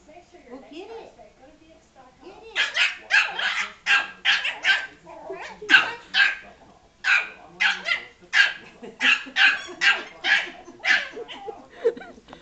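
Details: Frankie, a Yorkshire Terrier, barks angrily at a ball that rolled into and hit him: a steady run of sharp, high yappy barks, roughly two per second, with a little human speech at the start.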